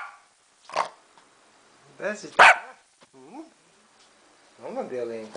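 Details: A Lhasa Apso barking at the camera gives a few sharp, high barks mixed with brief harmonic voicing.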